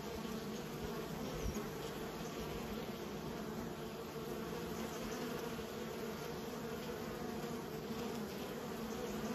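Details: Kept honey bees humming as a mass, the drone holding even and thick for the whole stretch, with faint soft knocks underneath.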